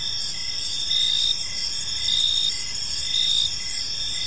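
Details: On an evening in a tranquil park, crickets chirp in a high, ringing chorus, three louder trilled bursts standing out over the constant background song.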